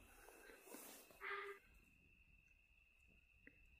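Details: Near Morghatti Forest Rest House in Jim Corbett National Park, a sambar deer gives a single loud, abrupt honking bark, an alarm call at a tiger that came near.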